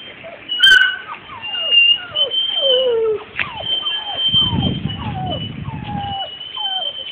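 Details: Purebred Labrador retriever puppies, 42 days old, produce a chorus of high, falling whines and yelps overlapping throughout, with steady whistling squeals above and a brief burst of low rustling noise midway.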